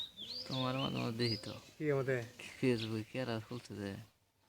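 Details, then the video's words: Jumping baby goats call in a string of short quavering bleats, four or five separate wavering cries, while small birds chirp in high thin notes. "baby goats - kids - jumping, and baby goat sounds"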